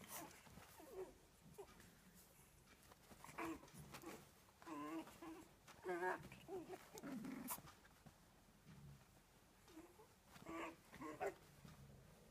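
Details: Phoebe, a dog out to make mischief and tease, gives short wavering whines and grumbling moans in clustered bursts, strongest from about three to seven seconds and again near ten to eleven, with quiet pauses between.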